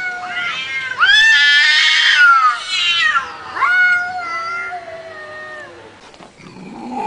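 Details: Cat yowling in two long harmonic wails, the first loud and slightly rising then sliding down, the second starting sharply and trailing off into a lower drawn-out moan, followed by faint rustling.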